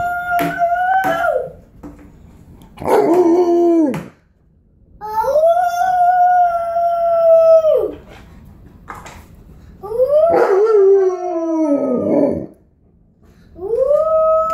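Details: Tonka, an Alaskan Malamute, howls indoors along with his four-year-old nephew while the boy plays with play doh: long steady mid-pitched howls with falling ends, alternating with shorter wavering cries, separated by brief quiet gaps.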